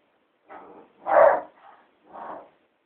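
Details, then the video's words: A hound dog howling at a cat gives four short, hoarse baying howls in quick succession, the second loudest. "Hound dog howling at the cat...."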